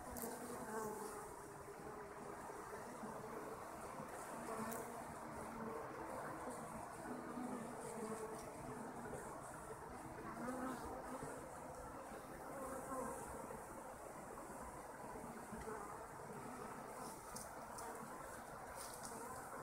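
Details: Honeybees kept by their owners drone in a continuous broad buzz, swelling and easing slightly in loudness, with brief scratchy clicks over the hum.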